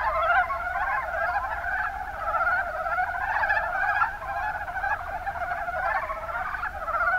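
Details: Chorus of Mountain brown frogs, Rana ornativentris, recorded in Kumamoto's Kuma Basin, Japan. Many animals call at once in a continuous, throbbing mass of short croaking notes. Loudness swells and dips slightly but never stops.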